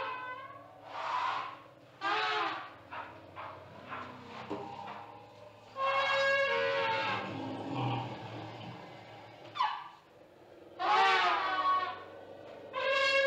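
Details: Zimbabwe elephants roaring in a run of short, harsh trumpeting bursts separated by pauses, some squealing and rising, over a low rumbling background.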